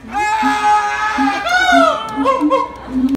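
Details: A siamang, apparently a male, at Higashiyama Zoo and Botanical Gardens gives a rousing call: a long, clear, held tonal note, then a few wavering rising-and-falling hoots.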